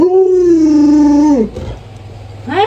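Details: Alaskan Malamute howling as its owner lies sick in bed; a long, steady, tonal howl sliding slightly downward and ending in a drop, a short pause, then a fresh rising howl begins.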